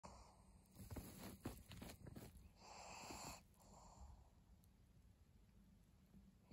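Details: Pug named Maria, a pet dog, recorded 3 January 2022, giving wheezy snorts and noisy breaths in irregular bursts, loudest in the first half, then quieter huffing over a low background rumble.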